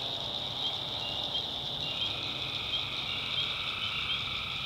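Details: Tree frogs calling at night in a swamp in the backwoods of North Carolina, a dense, steady high-pitched chorus that holds without a break, with a faint lower pulsing layer underneath.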